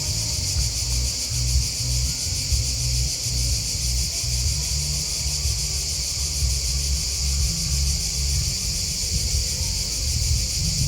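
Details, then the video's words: Continuous cricket chirping, many rapid high pulses blended into one shimmering band, with a throbbing low rumble below and no pauses. "Crickets Chirping Sound"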